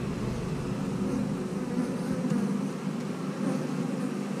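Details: A continuous low hum of honey bees from a colony kept as house bees, droning evenly throughout during a look at their queen cells, with faint handling noise.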